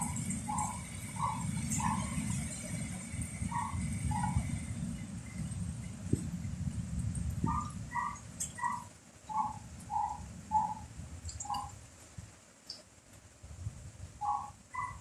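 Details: Dog barking in heavy rain and strong wind: short, clipped barks in quick bursts, roughly two per second, with a pause midway, over a deep rumble of wind and rain that eases toward the end.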